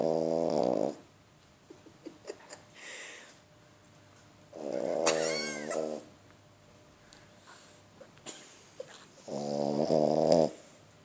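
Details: Leia, an 11-month-old female French Bulldog, snoring while asleep; three loud, raspy, harmonic snores come roughly every four to five seconds, each lasting about a second, with near silence and a few faint clicks between them.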